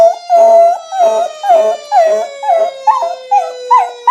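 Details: Domestic dog howling along to a fire engine siren sound effect; a steady siren tone runs throughout while the dog gives rhythmic, wavering howls roughly twice a second, each rising then falling.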